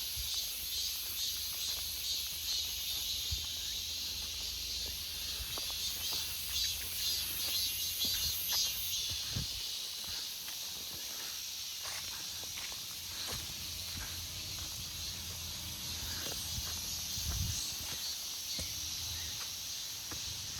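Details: Cicadas in an August forest, a dense steady high buzzing chorus that fills the woods without pause, with faint clicks and low rumbling underneath.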